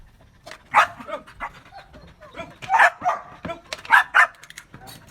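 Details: On 4 February 2023 a Belgian Malinois gives a few sharp, mid-pitched barks, spaced unevenly, as it is trained to bark on command.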